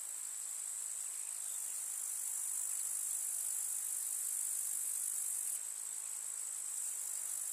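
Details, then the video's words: A summer meadow full of grasshoppers in rural countryside, their chirping fused into one continuous shrill, high buzz that holds steady throughout, easing a little toward the close; nothing else stands out. "КУЗНЕЧИКИ. Слушать звуки летнего луга"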